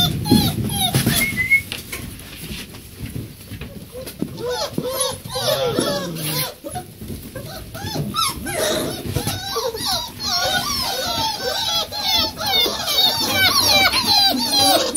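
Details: Bucovina Shepherd Dog puppies, four weeks old, with their mothers in a kennel in Romania: a busy chorus of high, squeaky whines and yelps, many overlapping short rising-falling cries, with people talking and some music.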